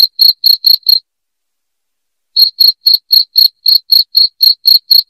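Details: Loud cricket chirping for driving off household rats: a few quick high pulses, then a pause of over a second, then the rapid chirping resumes at about four per second.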